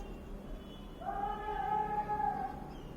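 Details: A 5-day-old Golden Retriever puppy, twitching and making small noises, gives a thin, drawn-out whimper with a slight rise at the start.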